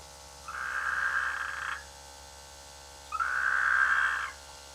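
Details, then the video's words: Frogs croaking in rice fields during the rainy season near a village; two long, level, droning calls about a second each, separated by a silent gap, over a steady low hum. "The sweet sound of frogs in the rainy season"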